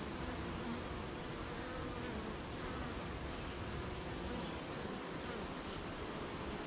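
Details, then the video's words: Beehive humming on a rainy morning: a broad, even wash of honey bee buzzing blended with rain-like hiss, low droning tones steady throughout without breaks. "Beehive RainyMorning"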